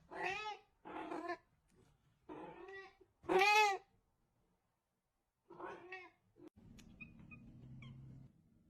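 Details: Cat producing a quick run of five meows, the fourth loud and high, followed by a gap, one more meow, then a low electrical hum with faint clicks.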